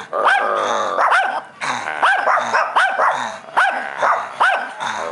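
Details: A friendly Shih Tzu at a barbecue growls steadily, breaking into short rising-and-falling yelps about once a second.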